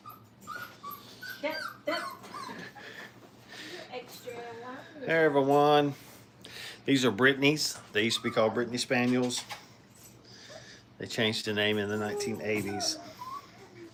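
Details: Five-week-old Brittany puppies learning to crate train in a kennel, indoors; drawn-out, wavering whines and yelps come in three bursts of a second or two each, with softer short whimpers between and voices nearby.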